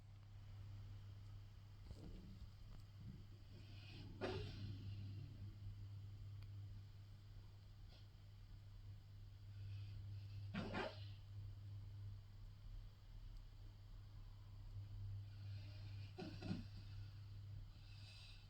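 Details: A sleeping female bull terrier, curled in her chair and probably dreaming, gives soft, breathy snorts and huffs every few seconds over a steady low hum.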